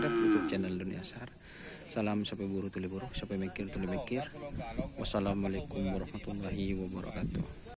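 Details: Cattle during karapan sapi bull race training at Lapangan Asemanis, team Konduk Alas Predator feat Korban Perasaan: deep, harmonic-rich lowing bursts repeating in short pulses, with sharp clicks and bursts of broadband noise between them.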